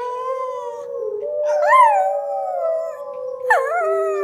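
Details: A female Schnauzer howls along with wild wolves on TV, giving long, steady tones that swoop upward and fall back, joining the recorded wolf howls.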